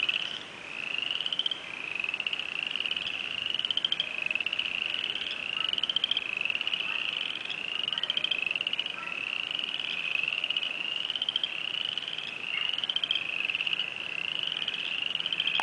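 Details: Spring peepers calling, the first heard this year and taken as a sign of spring: a dense chorus of high, short rising peeps repeated steadily and overlapping throughout, with little other sound.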